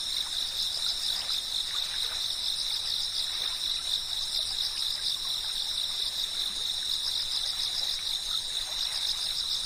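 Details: Continuous cicada chirping: several shrill high-pitched bands hold steady throughout, forming a constant buzzing wall of sound, with a low soft hiss and a few scattered faint clicks beneath.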